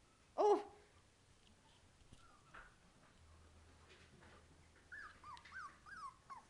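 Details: A puppy, one of a litter, crawling on its belly indoors: one short loud yelp followed after a quiet gap by a string of soft, high, wavering whines near the end.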